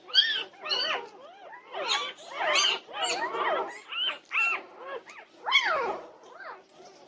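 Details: Several Norwegian Buhund puppies at 2:30 in the morning, June 8, 2021, giving arched, rising-and-falling whines and squeaky yelps, about two per second, overlapping one another.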